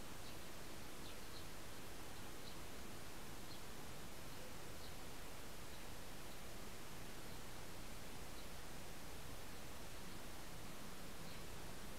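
Steady hissing broadband noise fills the recording, with no clear animal voice standing out.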